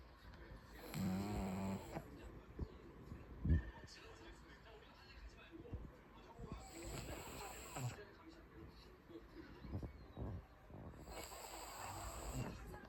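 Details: Pug snoring, with three rasping, noisy breath bursts spaced roughly five seconds apart, each carrying a low throaty rumble, separated by quieter soft breathing in a calm indoor setting.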